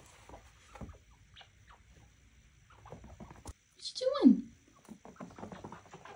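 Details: Pet chinchilla in a cage, vocal for attention and wanting out to play: soft rustling and a woman's talk, then one short sharp squeaky scream sweeping downward near four seconds.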